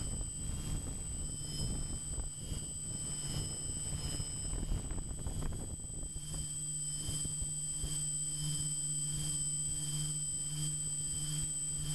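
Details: Low steady hum and faint constant high electronic tones over soft rumbling background noise, with no animal voice heard.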